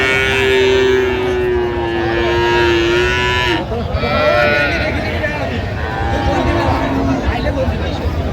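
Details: Long, level bovine moo lasting about three and a half seconds, cut off sharply, then fainter overlapping lows and bargaining voices amid the bustle of Aftabganj livestock market, Dinajpur, among cows and calves offered for sale on 17 January 2026.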